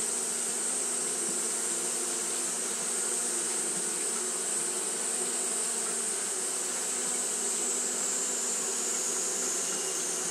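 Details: Japanese honey bees fanning continuously on a hot day; a steady, even hum with low droning bands, overlaid by a constant shrill high-pitched hiss throughout.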